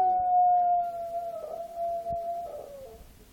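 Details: Bentley, a Miniature Schnauzer, howls indoors while the movie The Grey plays. One long, steady tonal howl that wavers slightly and trails off near the end.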